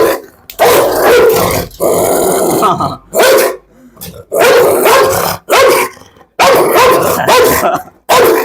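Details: Pit bull in a dog challenge, aggressive toward a visitor who may smell of a Rottweiler: loud, harsh barks in bursts of about a second, separated by short silences, with a rough growling edge.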